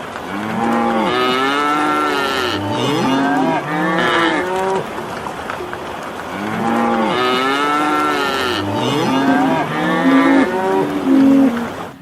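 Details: Cows in a field give repeated loud moos, each a drawn-out harmonic bellow bending up then down, in two bursts of several calls separated by a brief lull.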